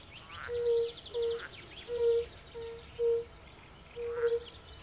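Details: Chorus of Bombina bombina at a woodland pond, with pool frogs also present: a steady series of short, soft, musical hoots about every half second to second, and birds chirping high overhead.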